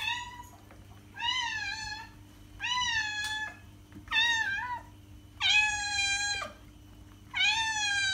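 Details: Domestic cat meowing, played to attract other cats: six drawn-out, richly harmonic meows roughly a second each, some level and some bending downward, separated by short pauses, with a faint steady hum underneath.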